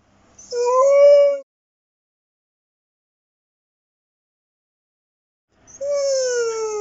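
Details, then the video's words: Pet dog howling while watching dog videos, getting emotional: two separate short tonal howls, each about a second long and slightly wavering, separated by about four seconds of silence. "Funny Georgie watching dogmovies and howls with."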